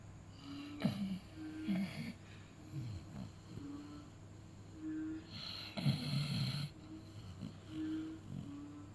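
A beagle snores in low, rasping rumbles, with some breaths ending in a higher nasal whistle.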